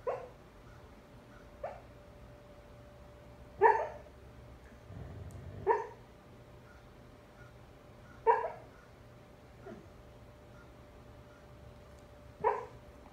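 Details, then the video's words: Foster husky, male, asleep and dreaming, makes short muffled whimpering yips, six brief squeaky calls spaced a few seconds apart, with a soft low breath between them in a quiet room. "Husky talking in his sleep"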